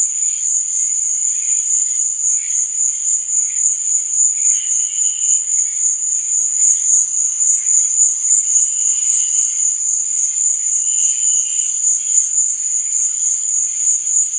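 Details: Night chorus of crickets: a continuous high-pitched ringing drone, overlaid by softer, lower chirps that come in short bursts and recur several times, notably near the middle and end.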